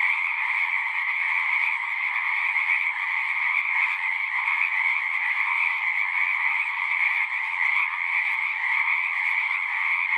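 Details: Chorus of frogs singing at a horse-pasture pond, recorded with a Zoom 6; countless overlapping trills blend into a continuous high buzzing wall of sound, slightly pulsing but never stopping.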